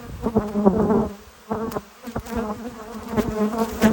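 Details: Honey bees at a hive in the evening, clustering below the entrance: a dense droning buzz with a clear steady pitch, swelling and dropping as individual bees fly past, with short quieter gaps.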